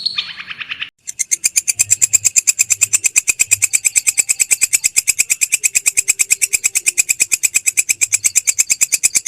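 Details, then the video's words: Belalang krek grasshopper calling: a steady train of sharp, dry, high pulses, roughly three per second, keeping an even rhythm after a brief softer, different sound at the very start. "BELALANG KREK"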